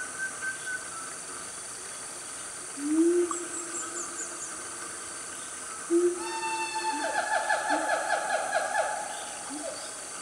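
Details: Family of siamangs, also called gibbons, calling loudly in Gunung Nuang forest, Selangor, Malaysia, around 10 am on a cool morning: low hooting notes near 3 and 6 seconds, then a rapid series of rising barks and hoots over steady insect drone.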